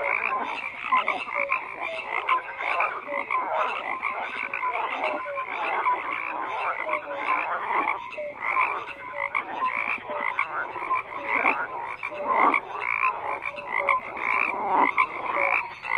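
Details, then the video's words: Overlapping frog croaks form a dense, unbroken chorus, rapid raspy pulses from numerous callers with sporadic brief tonal notes, level and constant from start to finish. "FROGS CROAKING"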